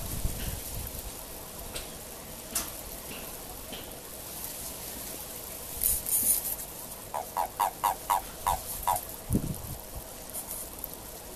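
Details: Japanese common toad giving its mating call during courtship in March 2023: a quick run of about six short, low croaking pulses near the end, following a quiet stretch with scattered knocks and rustles.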